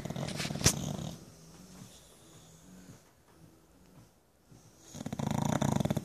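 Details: Bulldog at home dozing through a lazy Sunday; a rattling pulsed snore opens and another closes the stretch, with soft low breaths and near silence in between.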